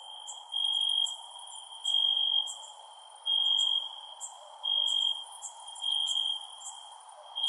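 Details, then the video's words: Crickets chirping at night: a high, tonal trill rising in loud bursts at uneven intervals of about a second, with sharp faint ticks higher up and gentle background hiss. "Cricket Sounds @ Night"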